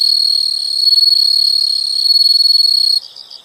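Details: Continuous shrill insect trill, high and even, holds for about three seconds, then breaks off into softer rapid pulsed chirps.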